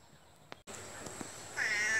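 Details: A domestic cat gives a short, high, thin meow near the end, after quiet background hiss and a few faint clicks.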